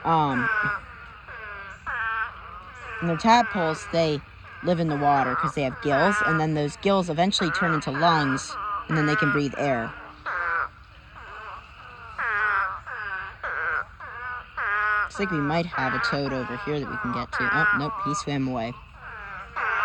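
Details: Mating swarm of spadefoot toads, thousands in one pond, keeps up a steady crying chorus; wavering, sheep-like bleats stack over each other in loud bursts separated by short, quieter spells.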